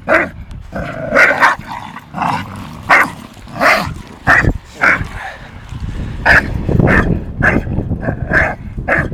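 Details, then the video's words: During rough play between Tyson, an 8-month-old Staffie, and Viper, a 2.5-year-old English Bulldog, a dozen irregular sharp barks ring out, some doubled, with growly low scuffling underneath and fainter barks toward the end. "staffordshire bull terrier VS English Bulldog"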